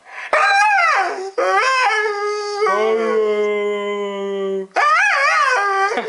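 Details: A Siberian husky aged one year three months objects to hearing the word husky with a series of four vocalisations: two short wavering arched howls, a long steady lower moan of about two seconds, then another rising-falling howl.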